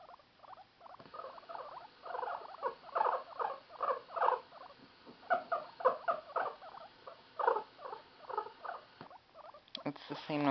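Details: A female pet guinea pig chatters in quick bursts of short, squeaky, chuckling notes, the guinea pig noise meant to show happiness, made as a recording of that happy sound is played to her.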